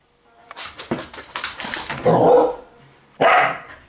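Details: Pearlie the dog, excited, goading Etsu into play; a run of quick clicks and scuffles leads into a drawn-out bark, a pause, then one more sharp bark, indoors.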